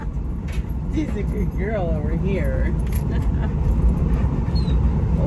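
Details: Alaskan Malamute named Tonka riding in a car, yelling after crowding the husky Monroe out of her seat; wavering, howl-like rising and falling yells in a short burst mid-clip over steady engine rumble and human talk.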